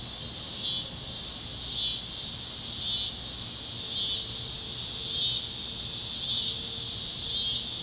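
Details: Kansas fields at sunset on a warm evening, cicadas chirping: a loud, high, pulsing drone that swells and dips roughly every second, steady and insistent, with a faint low hum in the background.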